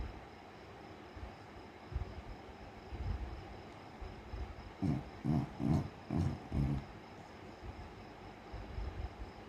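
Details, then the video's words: Sleeping Beagle snoring in a quick run of five short, low, fluttering rasps, each about a third of a second apart, between quieter stretches of soft breathing and faint background noise. "snoring while sleeping"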